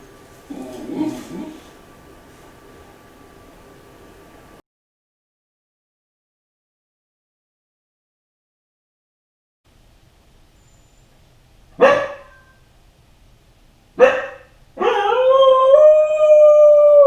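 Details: Kai Ken dog left home alone, howling out of loneliness from a high spot as if calling its family to return soon; two sharp knocks, then a loud, sustained, harmonic wail that holds steady and edges upward, after a quiet muffled room stretch.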